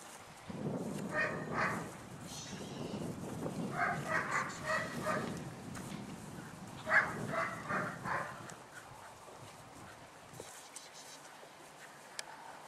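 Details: Malinois puppies just under 11 weeks old, one sister chased off a bone again, give bursts of short, tonal yaps over rough, low growling and scuffling, busiest in the first eight seconds, then near quiet with a few clicks.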